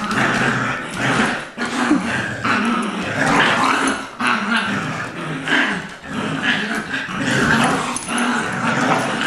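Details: Two dogs, a two-year-old adopted Lab mix and a six-week-old Golden Retriever puppy, playing tug of war; continuous low rumbling growls with harsh bursts and scuffling throughout, almost without pause.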